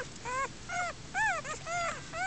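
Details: Newborn German Shepherd puppies whimpering in a den under foliage and a mattress frame, born outdoors to a first-time mother; high, arched whines that rise then fall, about six in a row, with soft low rumble beneath.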